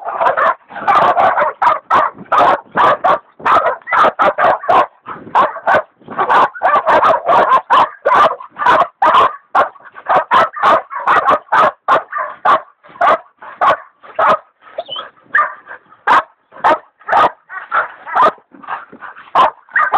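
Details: Hog dogs Dixie and Dollie, including leopard dog Dollie still in training, bay a big sow hog: a long unbroken run of rapid, loud barks, slightly sparser and thinner toward the end.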